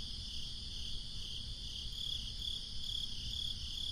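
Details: Crickets chirping on a breezy summer night: after two quieter seconds, bright high chirps repeat about twice a second, layered over a dense insect hum and low wind noise.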